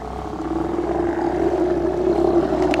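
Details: Steller sea lions at a colony on Mitlenatch Island, 8 October 2012, large males present: a drawn-out, droning harmonic roar that swells louder over nearly three seconds, above a steady low engine hum.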